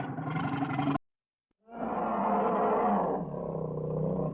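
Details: A bear roars: a short harsh burst, a brief silence, then a long rough roar that gradually lowers in pitch and fades toward the end.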